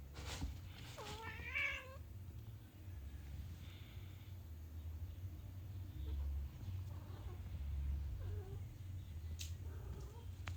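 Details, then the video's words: Orange domestic cat meowing indoors because it wants to go outside, giving a few short rising-falling harmonic meows near the start and a faint one later, with quiet room noise and low hum throughout. "Orange Cat wants to go outside"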